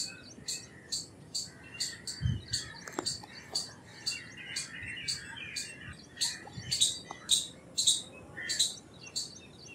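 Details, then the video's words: Indian palm squirrel repeating sharp high chips about twice a second. Scattered lower bird notes and a few soft thuds mix in behind. "Squirrel Sounds Effects - Squirrel Calls - Squirrel Sound - Indian Squirrel - Squirrel Voice-Vocals"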